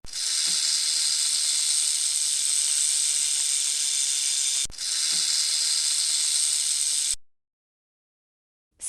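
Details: A snake hisses in a steady, harsh, airy rush that holds for several seconds, breaks briefly, resumes, then stops abruptly and gives way to silence.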